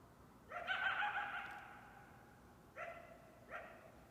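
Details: Coyote (Canis latrans), call.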